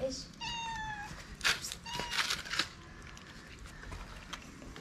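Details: Calico street cat in Morocco, part of a group of strays gathered around people, meowing for love and food; a long, bright, steady meow, then a shorter second meow, with rustling bursts and a human voice nearby.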